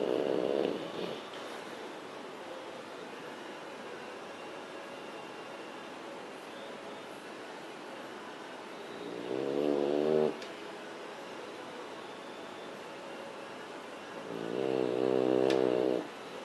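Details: Beagle named Bee-zo snoring loudly while asleep: a steady low rasping hiss, with two longer, louder harmonic-rich snorts near the middle and end.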